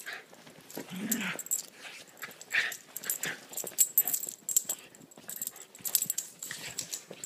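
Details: A Chiweenie and a Rat Terrier/Chihuahua mix at play, making hoarse huffing growls and snuffling breaths in uneven bursts, with scuffling movement throughout.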